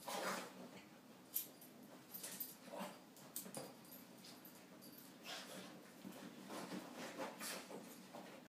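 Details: Boston Terrier named Brophy Cardio, freaking out about getting a little rain water on him while it is hardly raining outside; short irregular whimpers and yips in scattered bursts, with faint rustling between them.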